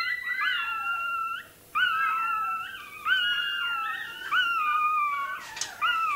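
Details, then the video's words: Puppy of the toy terrier breed wailing as its tail is docked; sustained shrill, wavering cries in long phrases with short breaks, a brief clatter near the end. "Купирование хвостика щенку той-терьера."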